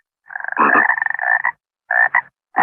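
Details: Water frog croaking: one long, rapidly pulsed, rasping croak of about a second and a quarter, followed by two short pulsed bursts, then the start of another. No other sounds.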